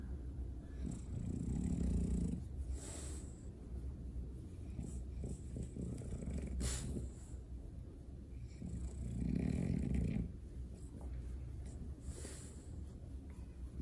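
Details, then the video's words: Low grunting snorts from a French Bulldog during a belly rub, a steady snoring rumble with two stronger breathy bursts near the start and end. "French Bulldog ASMR | 5 mins of snorts"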